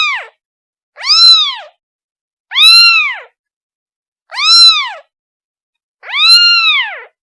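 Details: A kitten calls for its mother with insistent arched meows, rising and falling, five in a row roughly every one and a half seconds, bright and harmonic, in an otherwise silent setting.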